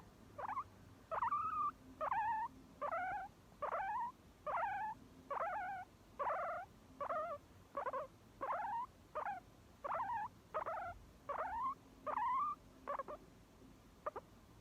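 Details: Repeated squeaky calls from a guinea pig, each brief note rising then dipping in a kinked 'kyuko' shape, delivered in a steady string of about twenty notes with short gaps and little other sound.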